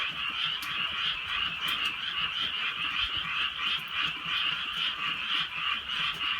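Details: Rural night chorus of frogs during soft rain, dozens of harsh, quickly repeated croaks merging into a pulsing drone, with occasional sharp drips or clicks cutting through.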